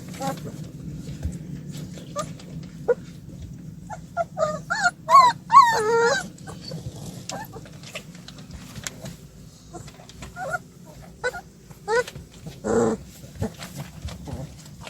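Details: Young puppies escaping a play area, one of a group of seven: a brief burst of high, warbling whimpers and yips in the middle, then scattered soft squeaks and a short low yelp near the end, over muffled room noise.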